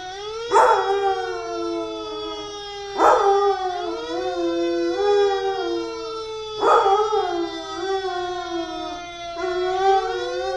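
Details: A 2-year-old Labrador-Chow mix howls in long, wavering, mid-pitched notes, each starting with a sharp rise; he howls like this every time he hears a fire truck.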